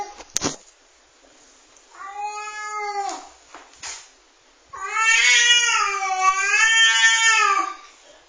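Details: A female domestic cat gives two long, wavering yowls like a crying baby, the second louder and drawn out, warning off another cat; she had never made that sound before.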